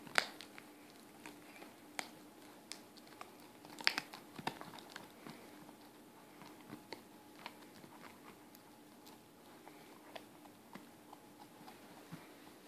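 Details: Four-month-old Weimaraner Haylee working at a bone, soft irregular bites and crunches spaced a second or so apart, with a few sharper cracks early on against a quiet background.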